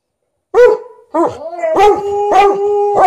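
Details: An elderly Golden Retriever, thirteen years old, insisting on more petting beside a protesting Malamute; a yelping bark, a rising whine, then strong repeated barks that run into a sustained tonal howl.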